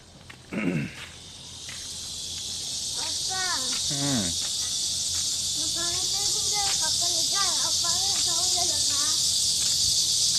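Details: Cicadas in midsummer: a dense, unbroken buzzing hiss that swells after the first second and then holds steady throughout, with people's voices talking beneath it and a brief louder sound near the start.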